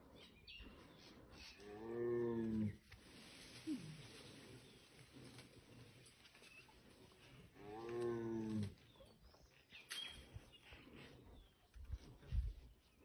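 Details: Sambar deer give loud, harsh, honking alarm calls warning of a nearby tiger in Ranthambhore National Park, India.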